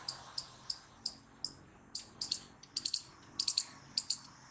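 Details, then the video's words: Squirrel repeating high, piercing chirps about once every half second, some doubled or tripled, over a faint low hum. "Squirrel Noises Loud | Squirrel Sound Video"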